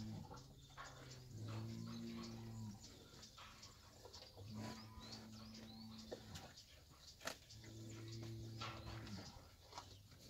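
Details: Fighting bulls and young bulls calling: three drawn-out, low moos of about one and a half seconds each, evenly spaced over a noisy, hissing background.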